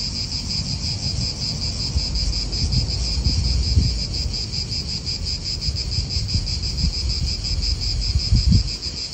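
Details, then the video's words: Italian park cicadas keep up a shrill, evenly pulsed high buzz while wind gusts swell and fade in the low range, strongest near the end. "Cicadas wind real atmosphere in an Italian park"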